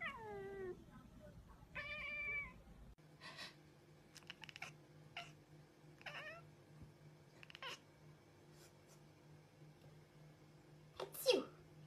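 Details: Cat heard at the start with a short falling meow and a brief higher meow, followed by scattered clicks and rustles over a steady low electrical hum.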